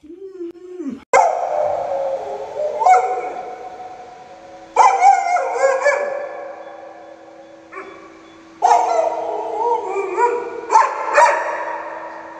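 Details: Luoluo, a pet Alaskan Malamute that plays babysitter to a young child, gives loud harmonic howling bursts with sudden starts and slowly fading tails, roughly four outbursts over twelve seconds, with a steady low hum running underneath.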